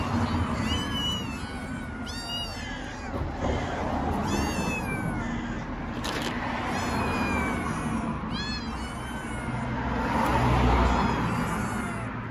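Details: Stray kittens in Istanbul meowing loudly from hunger, a run of rising-then-falling harmonic meows repeated every second or so, several voices overlapping, over steady low street rumble.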